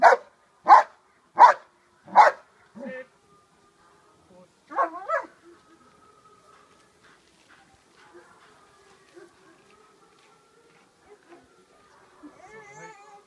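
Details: Dog doing the hold and bark exercise in Schutzhund protection training: four strong barks in the first two seconds, then a quieter bark pair, followed by a long stretch of faint background noise.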